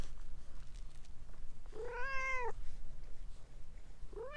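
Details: Talkative orange tabby stray cat clinging to someone's legs, giving one long arched meow that rises and falls, then the start of a second meow at the end; low steady hum underneath.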